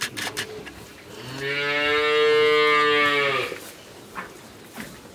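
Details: Friesian heifer calf, thirteen months old, in Pabna, Bangladesh, gives one long, steady, rich moo lasting about two seconds, with quieter rustling before and after.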